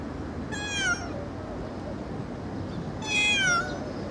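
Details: Kitten meowing fairly loudly: two high, harmonic-rich meows about two and a half seconds apart, each under half a second and gently falling in pitch, over a steady background hiss.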